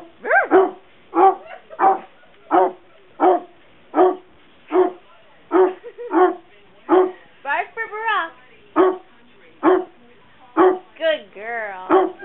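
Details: Dog barking on command on Election Night 2008, showing support for Obama; steady run of short, punchy barks, roughly eighteen over twelve seconds, with a few drawn-out, warbling whine-barks in the middle and near the end.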